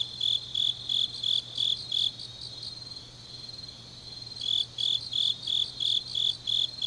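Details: Grass insects on a deep autumn night in Changnyeong, South Gyeongsang, South Korea: high, pulsed chirps repeated about three times a second, with a second fainter insect trilling steadily, a pause midway, then the chirping resumes.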